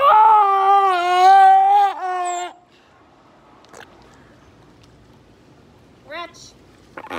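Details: A zoo grey seal gives a long, wavering, harmonic moan on cue, a newly learned vocalization that keepers trained and reinforce.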